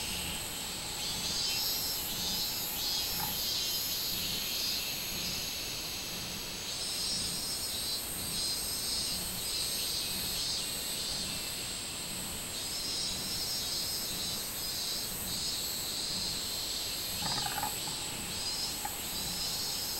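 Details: Minminzemi, robust cicada, recorded 24 July 2016: a loud, shrill, continuous buzzing song throbbing in regular pulses, with the pitch shifting upward partway through. A background insect chorus is heard, with a faint knock near the end.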